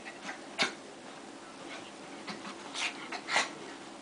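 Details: Two dogs fighting: short, harsh, noisy snarling bursts and sharp yelps break out in clusters across four seconds, with quieter scuffling between them over a faint, steady background hiss.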